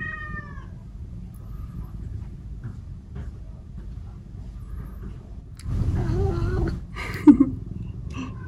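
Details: Cats Omusubi and Ace are talkative and clingy early in the day, asking for affection. A brief meow opens the clip, then after a quiet stretch comes a louder burst of rumbling and two or three short meows.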